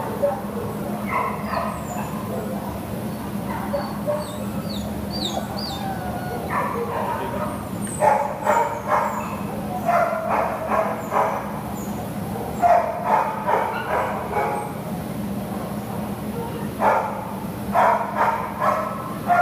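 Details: Adoptable American Pit Bull Terrier, filmed 6/11/2015, barks in scattered clusters of short sharp yaps, with some talking and high squeaks mixed in over a constant low hum.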